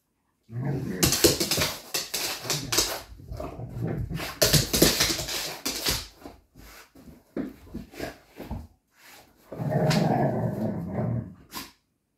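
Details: Xoloitzcuintli, a Mexican Hairless dog, at play time, giving a burst of harsh, noisy barks and growly rumbles in quick irregular bouts, a brief pause, then another rough growling barrage near the end.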